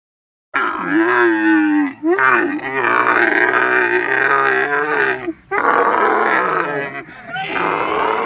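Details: Camel groaning loudly and at length, a rough gurgling roar that wavers in pitch, broken by brief pauses, in several long bursts over about eight seconds.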